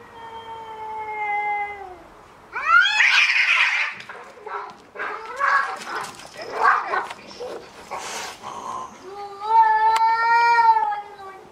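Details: Cats in a playful fight: drawn-out harmonic yowls, steady then falling, open and close the scene, with a burst of hissing and spitting growls between them.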